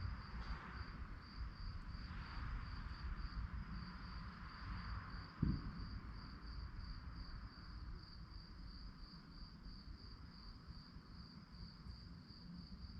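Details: Crickets chirping at night in a continuous high, pulsed trill, with low rumbling background noise, a few soft swishing sounds early on and one brief thump mid-way.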